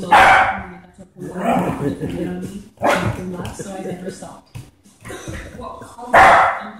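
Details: Irish Setter named Bella during play time, giving three loud, sharp barks spaced about three seconds apart, with a person talking between the barks.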